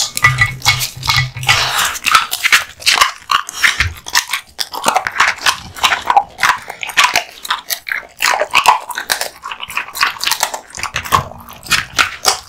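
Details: A male American Bully named Kotetsu, born August 2016, chews raw meat and bone with wet crunching, snapping bites and smacking.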